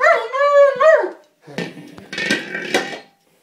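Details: A German Shepherd attacking a small buoy, annoyed he cannot bite through it: one drawn-out high whine with a quick upward flick at the end, followed by noisy rustling and chomping sounds.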